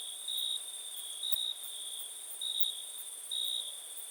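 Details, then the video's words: High, piercing cricket song: an unbroken trill with regular louder swells, four in about four seconds, over quiet background. "Cricket sound"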